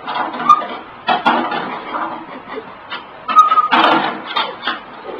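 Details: A 16-year-old pug hunting for a hot dog, making short bursts of snuffling and snorting, with brief thin whine-like tones at about half a second and again near three and a half seconds, in a small indoor room.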